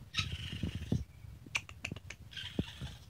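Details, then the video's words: Young raccoon giving two short, harsh wavering cries separated by a stretch of clicks, thumps and rustling close to the recorder. "Baby Raccoon Sounds"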